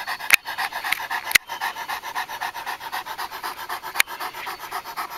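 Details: Purebred Japanese Tosa Inu panting during mating: rhythmic breathy huffs about once per second, steady and unbroken, with a few sharp clicks and knocks standing out over the breathing.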